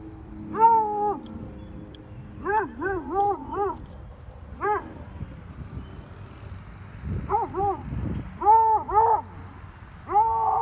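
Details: Zoey, a female Treeing Walker Coonhound, barks at a rabbit with tonal, drawn-out barks in bursts, some doubled, with brief pauses between them.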